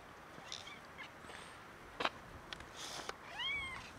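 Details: One of three hungry male cats in the heat season gives a single short meow near the end, arched and rich in harmonics, after scattered clicks and rustling sounds.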